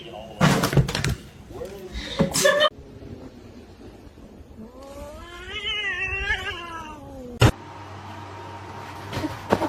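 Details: Kitten meowing: after sharp clatters and talking, one long wavering meow rises and falls in pitch for about two seconds, followed by a loud click and quieter room noise.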